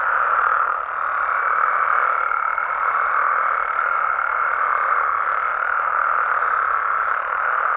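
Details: Nighttime frog chorus from Mexico, countless callers merging into a continuous buzzing, croaking din; a faint steady higher tone drifts through the middle of the recording.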